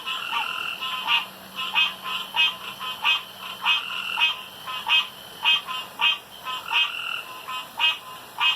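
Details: Night chorus of male frogs around a pond, each trying to out-croak rivals; loud, rapid bursts of bright two-note calls overlapping steadily, rhythmic pulses about every half second, a faint low drone underneath.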